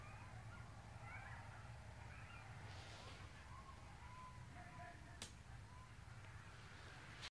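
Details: Coyotes yelping at night near a house on Dularge: distant, wavering high-pitched yips and thin howl-like wails rise and fall over a steady low rumble of background noise, with one sharp click near the five-second mark.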